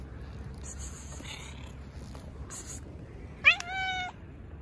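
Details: Stray cat in an Istanbul park among other strays gathered round a volunteer petting a tuxedo cat; one loud abrupt meow with a sharp onset, then a held tone, preceded by rustling and quiet outdoor noise.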